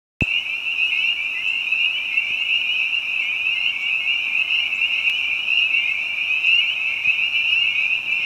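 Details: Spring peepers calling in spring behind a house with other frogs, a dense unbroken chorus of high, shrill peeps merging into one steady ringing band, with faint scattered ticks.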